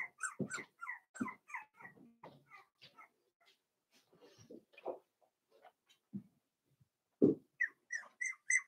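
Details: Daisy's four-week-old Cavalier King Charles Spaniel puppies in their pen indoors, giving bursts of high whines and short yips with brief quiet gaps, a louder sharp yelp near the end followed by more squeaky cries.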